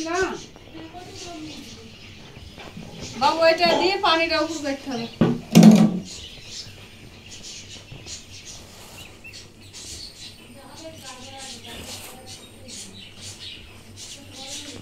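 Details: Kittens mewing indoors in a small room: a loud run of harmonic, arching mews around four seconds, followed by a sharp burst, then softer scattered mews later over a steady background hum.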